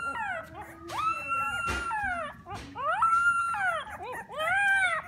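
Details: Three-week-old Alaskan Klee Kai puppy giving a run of high, whining whimpers and yelps, each rising then sliding down, about one every second or two, with several soft thuds between them.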